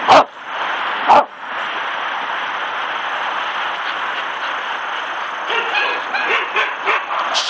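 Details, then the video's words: Ginger, a rescued Shetland Sheepdog/Collie mix, barking at the sky and clouds outdoors; two sharp loud barks a second apart open, followed by a run of softer quick yips, over constant rushing wind-like noise. "Sheltie barking at the clouds"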